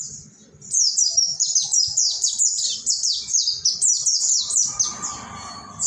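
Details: Caged mountain white-eye in ombyokan-style song for training other birds; a rapid, continuous string of high, falling whistled slurs lasting several seconds, with a faint mid-pitched hum near the end.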